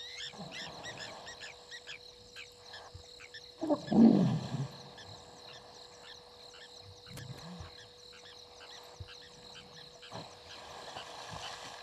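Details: Two sparring hippopotamuses in a dam on Djuma Game Reserve, Sabi Sand Wildtuin, South Africa, 19:22, 16 November 2021, live waterhole camera. Midway comes one loud, deep, rough bellow, followed by fainter low grunts amid a persistent clicking chorus of frogs or insects and a faint hum.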